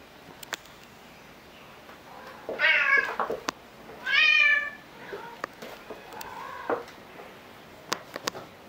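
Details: Rescue cats, one a kitten about four months old, playing chase indoors in December 2018, filmed on a Fujifilm camera: two loud, drawn-out meows a second apart, then softer short mews, with scattered clicks and thumps of play.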